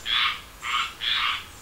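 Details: Frogs croaking on a summer evening in the south: three broad, raspy pulses, each about a quarter second long, repeating roughly every half second against a quiet background.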